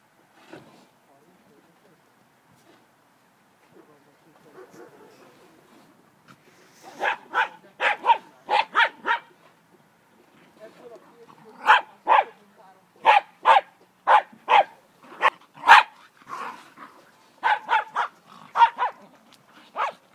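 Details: Welsh Terrier named Bodri with his head stuck in a bucket after drinking, outdoors on a sand pile with an Airedale nearby: quiet muffled sounds, then clusters of short sharp yelping barks in bursts of three to five.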